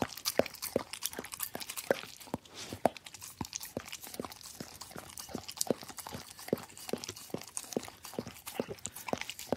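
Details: Dog licking a plate with a very regular rhythm, a crisp wet click close to every half second, about twenty strokes, over faint crackling.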